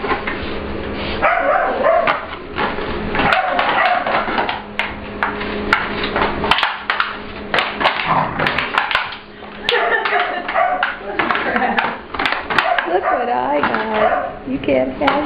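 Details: English Bulldog/Pit Bull puppy named Ester at playtime with a client dog, Layla, in a grooming room at work, asserting the room is hers; bursts of short gruff barks and yips, with people talking nearby.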